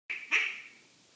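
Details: Jasper, a pet cat, making one of his weird noises: a brief high squeaky chirp, a thin opening tone followed at once by a louder, brighter burst that fades within about half a second, with no other sounds around it.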